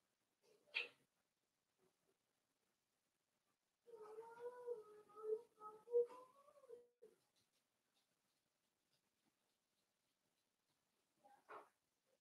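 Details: Four-week-old Cavalier King Charles Spaniel puppies indoors in a home puppy pen, being socialized with older dogs and offered puppy mash. A wavering, tonal whine rises and falls for about three seconds, framed by brief sharp knocks in otherwise quiet surroundings.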